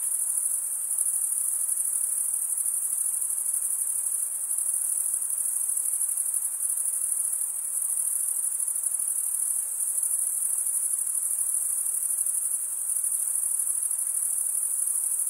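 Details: Long steady chorus of crickets stridulating, males scraping one wing along the comb-like teeth of the other, giving a shrill constant trill with slight swells in loudness.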